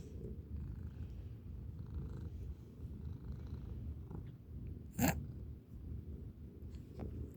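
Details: Pet kitty, a chaotic one trying to eat everything, purring: a steady low vibrating purr with one sharp click midway and quiet indoor surroundings.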